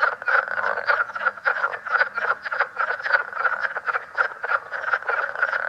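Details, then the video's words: Leopard frogs calling at Great Swamp National Wildlife Refuge, of a newly found form in New York and New Jersey that looks the same but calls differently: a dense chorus of rapid overlapping croaking chuckles, several callers at once. "Leopard Frog Great Swamp National Wildlife Refuge"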